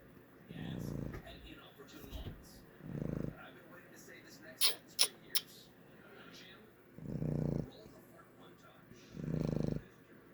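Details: Boston Terrier (Canis lupus familiaris), snoring.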